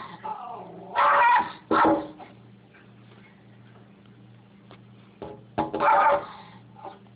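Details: Rat terrier indoors barking at a noise on the other side of the window: three loud, harsh barks at about one, one point eight and six seconds, with low whining and growling murmurs between them.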